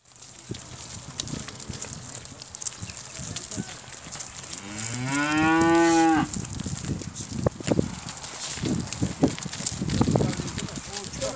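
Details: Simmental cattle, a breeding bull with a group of heifers, at a livestock farm in Turkey: one long moo rising and then falling over about two seconds, with barn clatter and a steady background hum.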